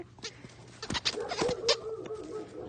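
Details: A male Rottweiler about five years old, a rescue dog learning to play, gives a high, drawn-out whine mixed with sharp scuffling bursts.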